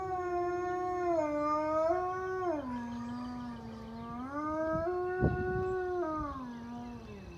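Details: Very high-content wolfdog howling at a monthly siren test: a continuous, harmonic-rich howl gliding between higher and lower notes, stepping down and rising again several times, with a brief sharp knock midway.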